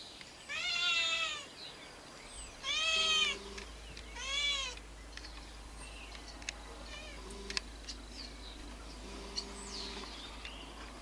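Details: Feral cats waiting for food: three arched, downward-curving meows in quick succession during the first five seconds, each about half a second to a second long, followed by quiet with faint clicks and a low steady hum.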